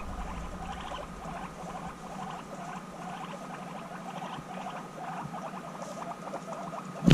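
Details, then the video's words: Guinea pig sisters back together after six months apart, in an intense bonding session; rapid, evenly stuttering pulsed chatter runs throughout over a low hum, ending in a sharp knock. "Guinea Pigs Reunited After 6 Months Apart: Intense Bonding"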